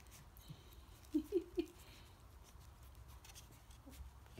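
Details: Coton de Tulear puppies, almost four weeks old, playing and biting in their pen while their mother looks on. Three short squeaky yelps come in quick succession, then a fainter one, over a low background rumble.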